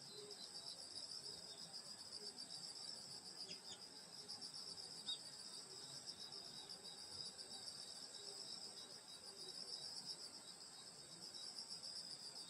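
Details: Countryside grass insects on a summer night at a grandmother's home, giving an unbroken high-pitched buzzing, ringing chorus of overlapping rapid trills, with a few faint clicks and scattered soft low notes beneath.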